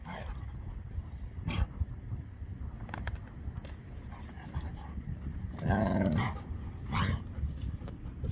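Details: Play-fighting senior Labrador Retriever Beertje, low rough breathing broken by a short voiced grumbling growl around the middle and a second brief rumble, amid thumps and rustling of the tussle.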